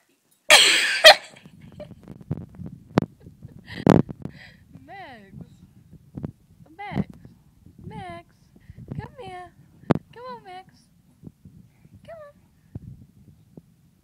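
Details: Fox Terrier called Max whining: a run of short, high, curved whimpers, roughly one a second, with soft rustling and a burst of handling noise at the start.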